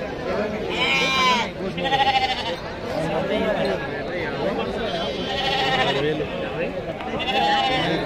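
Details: Big rams at a livestock market in Pebbair, India, giving several short harmonic bleats spaced a few seconds apart amid constant crowd chatter and speech.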